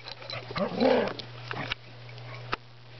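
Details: Playful wrestling between dogs Spruce and Griffin: one throaty, rising-and-falling growl lasting under a second, then quieter rustling and a sharp knock, all over a constant low hum.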